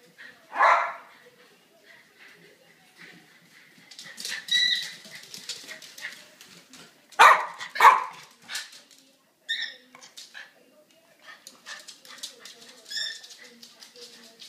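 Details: Two pet dogs, a boxer and a silky terrier, chase each other around a house over a stolen toy ball; short sharp barks and yips come in scattered bursts amid scuffling and clattering, with a person speaking briefly.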